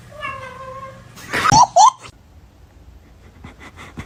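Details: Kitten meowing indoors: one thin, steady meow lasting under a second with bright even overtones, then a loud scuffling burst with two short squeaky upward slides, followed by faint clicking taps.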